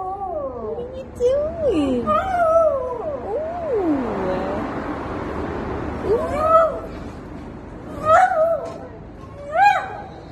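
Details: Dog howling loudly, voice swooping up and down in wavering, sliding cries, followed after a hushed stretch by shorter rising-and-falling howls spaced about two seconds apart.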